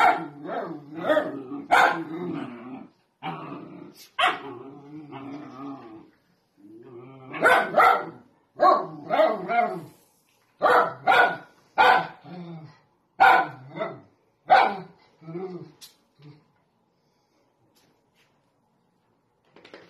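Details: Dachshund at home barking repeatedly in rough, throaty bursts mixed with growly grumbles, about a dozen loud barks over fifteen seconds before going silent.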